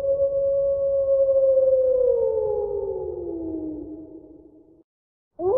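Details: Wolf giving one long, steady howl that holds its pitch, then slowly slides downward and fades out after about five seconds, over a low rumbling background; a brief new sound begins just at the end.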